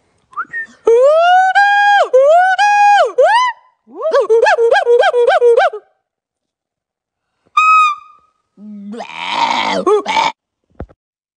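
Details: A chimpanzee gives loud, rising hoots, a quick run of pulsing calls, then a harsh scream.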